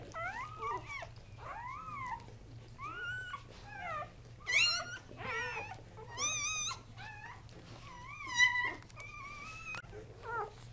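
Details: Three male Casablanca Kuvasz newborns, born October 30, 2008, cry in bent, wavering whines with bright overtones, some swooping upward and others held level. The bursts come in uneven clusters, with a steady low hum underneath.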